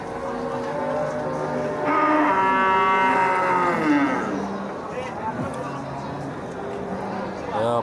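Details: A cow, five months pregnant, gives a long drawn-out moo with strong stacked harmonics lasting about two seconds, over steady background hum and a man talking nearby.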